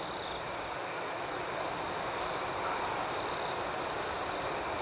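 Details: Crickets at night in a serene outdoor setting, a steady high-pitched chorus with a rhythmic pulsing overlay of chirps, close to three per second, continuing unbroken throughout.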